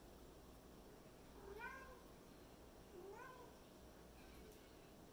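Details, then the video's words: Female kitten chattering at her toy monkey inside a small room: two soft meows about one and a half seconds apart, each arched and slightly falling, over steady low background hum. "Kitten likes talking to her toy monkey"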